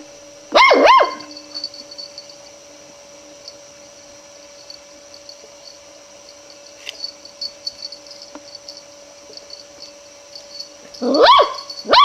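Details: Long-haired miniature dachshund puppy, wary of a roll of ribbon while trying to investigate it, gives a quick double yap near the start, then long quiet with faint rustling, and another pair of sharp barks at the end.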